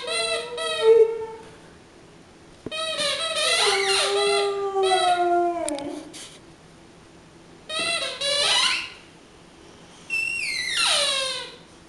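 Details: Four-year-old Boxer Mattie sings her take on Frosty the Snowman, giving separate bursts of yodelling howls that slide and dip, the last phrase falling steeply, with quiet gaps between phrases in a small room.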